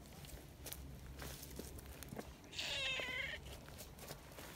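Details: Sweet-natured tortoiseshell community cat that has only lately let itself be stroked utters a clear, loud mewing cry, slightly rising then falling. Scuffing and rustling noises come before it.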